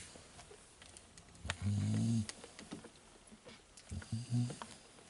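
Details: Sleeping fawn male Staffordshire Bull Terrier puppy from Staffordland's 34th litter, recorded 19/10/2018. One long, low, rumbling snore near the middle, then a shorter softer one, over a faint room hiss.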